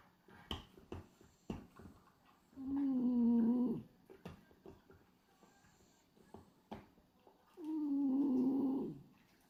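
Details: A pied black-and-white male French Bulldog, Hachi, sleeps with his tongue flapping and snores steadily: two sustained, humming snores about five seconds apart, steady in pitch with a slight fall, separated by quiet ticks and rustles.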